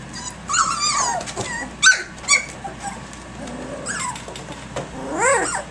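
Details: Three-week-old puppies of a litter from Egypt, playing rambunctiously at six in the morning: scattered high whines and yips, some rising then falling, a few sharp squeaks between quieter gaps.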